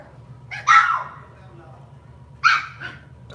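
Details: Lhasa Apso dog kept at home giving two sharp, short barks about two seconds apart, each a bright yap with a quick fall-off, over a low steady hum in a quiet room.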